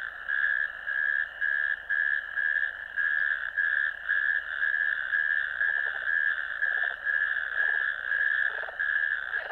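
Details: Several natterjack toads in a ditch, 1 May 2024, trilling together. A continuous churring rattle rises and dips in roughly half-second surges, with faint lower rasping notes from other callers near the end.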